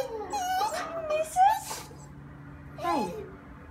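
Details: A Shiba Inu whines in wavering, high, sliding tones, excitedly greeting its owners after two weeks of not seeing them.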